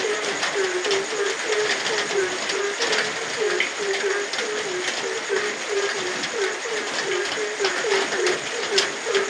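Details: Night chorus of a frog in rain, a rapid string of brief, deep, clucking croaks, roughly four each second without pause, set against steady rainfall hiss and crackling droplets.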